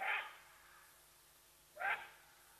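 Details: Side-striped jackal sounding the alarm at the leopardess Watika near Nkorho Bush Lodge, Sabi Sands, bordering Kruger National Park, South Africa, captured on a live camera: two short, husky, rising hoots almost two seconds apart over a quiet background.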